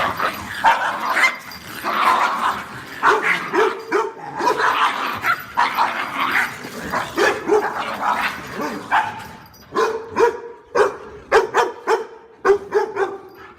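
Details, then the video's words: Continuous, agitated barking with overlapping yips and a rough, noisy texture throughout, giving way to clearer, rhythmic barks in the final seconds. "Tiếng Chó Sủa"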